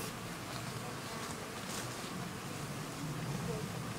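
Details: Bees massed in their hive give a dense, even, low drone that holds steady for the whole stretch, with a faint hiss above it.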